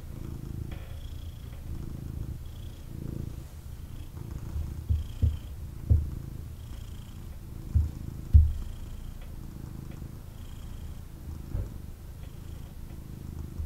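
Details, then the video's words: A male kitten purring intensely after being picked up for cuddles; a low, steady rumbling purr swelling with each breath, with a few soft thumps from handling and faint higher tones in the background. "Kitten Purrs and Snuggles"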